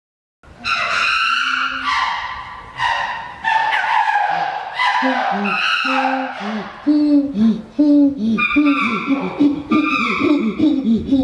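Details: Chimpanzee pant hoot, a ventilatory display of strength and dominance: loud, harmonic screaming hoots at the start, then a fast series of rhythmic, arched panting grunts that rise in pitch toward the end.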